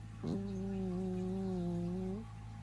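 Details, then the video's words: Bicolor Persian cat snoring, a snore likened to a fart: one steady, low, buzzy droning tone lasting about two seconds, held level, then rising slightly and cutting off, over a quiet low hum. "オナラみたいないびき ペルシャ猫"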